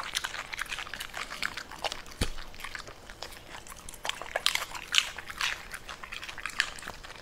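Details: A Pembroke Welsh Corgi eats purple cabbage noisily, with sharp, crunching bites mixed with wet chewing and smacking. The crunches come in uneven bursts, some louder than others, in a quiet room.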